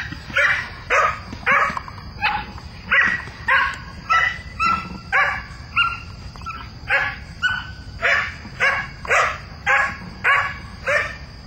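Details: Mina, a young Belgian Malinois, barks at the bad guy during her first chase in bite-work training, a bark still too friendly; steady rhythmic barks roughly twice a second, each bright and harmonic, over a constant high electronic tone.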